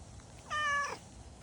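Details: A domestic cat gives one short, clear meow lasting about half a second, steady and tonal with a rich stack of overtones, against a quiet room background.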